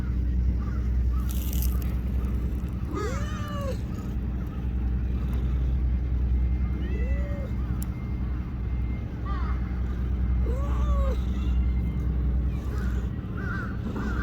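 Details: Three short, rising-then-falling meows spaced several seconds apart from a little black-and-brown tortoiseshell stray cat in Japan, sitting beside a person who strokes it, with faint chirps and a low steady hum behind.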